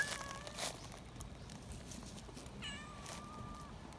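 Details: Shrill meowing from a young community cat excited while held: one level, drawn-out call of about a second, amid rustling and handling noise.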